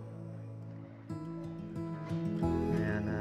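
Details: Gentle acoustic guitar music begins after a quiet opening, with sustained plucked notes and no animal sounds.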